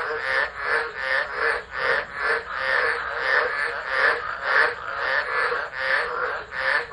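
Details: Tropical frogs at Driver, Northern Territory, Australia, calling in a tropical storm on 13 December 2013, phone left on the ground; loud throaty croaks in slow swelling bursts, several overlapping callers forming a steady chorus.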